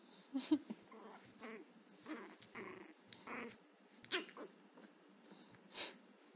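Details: Angry young Chihuahua practising its bark: rough, growly yaps and huffs come in uneven bursts, with a few sharper clicks and snaps between them.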